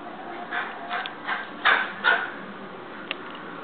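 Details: Young Siberian Husky puppy throwing a fit: five short, whiny yelping bursts spaced roughly every half second, the fourth and fifth loudest and highest, then a brief sharp click as the fussing trails off over a low background hiss.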